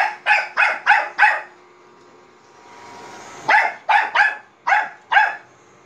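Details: Bichon Frise barking at a robot vacuum: four quick sharp barks, a two-second pause filled with low whirring from the machine, then five more barks in an uneven rhythm.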